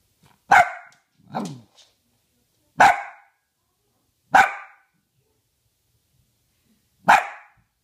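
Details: Pet female Dachshund counting up to five by barking: five abrupt barks spread over eight seconds, the second softer and lower, followed by spoken praise.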